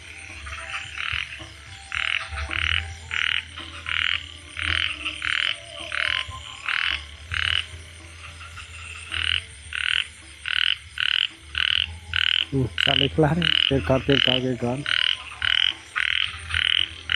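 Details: Frog at night, just after chasing a snake away, calling steadily: short harsh croaks repeated about every half-second in a long regular series. Low steady hum runs underneath, and a man's voice briefly talks over the calls near the end.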